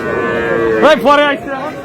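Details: Sahiwal calf at a cattle market in Bangladesh: a short, loud, drawn-out bawl with a wavering upward bend and harmonic overtones, followed by a second lower moan, over steady market hum.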